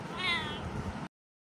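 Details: Kitten indoors; a single short, high, harmonic meow rising then easing off, under noisy background sound, ending abruptly at one second.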